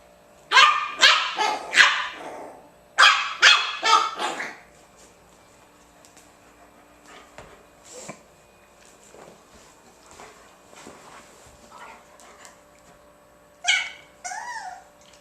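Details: Bugg puppy and German Shepherd playing together; bursts of sharp barks, two clusters of three to four in the first five seconds, then quiet shuffling and a final short yelp-like whine near the end.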